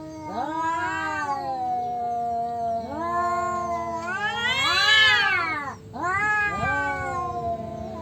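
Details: Two tomcats disputing territory in an Indonesian standoff: sustained low moaning yowls swelling into a loud rising wail near the middle, then dropping and resuming in wavering, overlapping howls.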